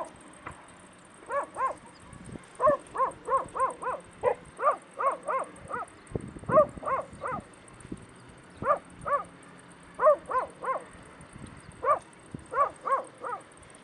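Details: Stray puppies in Bursa, Turkey, calling in a long run of short, high yelping notes spaced roughly half a second apart, a few louder yips standing out, over a faint steady hiss.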